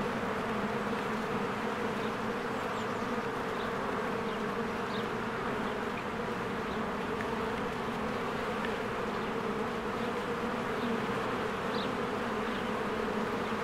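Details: Honeybees swarming in and out of a hive during spring bloom; steady, dense wing hum layered in low bands, unchanging, while small distant birds chirp briefly now and then.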